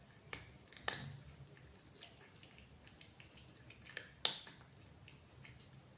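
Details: Cat eating crunchy food indoors, close up; a handful of sharp, dry crunches and clicks spaced irregularly across a few seconds, with quiet room tone between bites.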